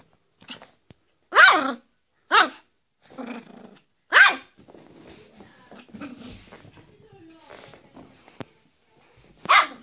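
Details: Yorkshire Terrier barking: four sharp, loud, high yaps spaced irregularly over ten seconds, with quieter murmuring voices and soft shuffling sounds in the gaps between barks.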